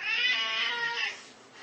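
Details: Siamese cat with a loud, long wailing meow, harmonic-rich and slightly falling at the end, likened to a crying baby; a person's voice follows.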